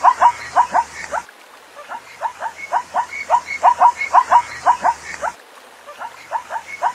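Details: A calling zebra gives rhythmic, barking yelps roughly two per second in long runs with short pauses between bursts; no other animals or background noises stand out.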